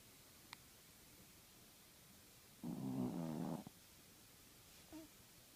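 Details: A sleeping male Chihuahua, his eyes open, gives a single short, raspy snore lasting about a second against a quiet room, with a faint click before it.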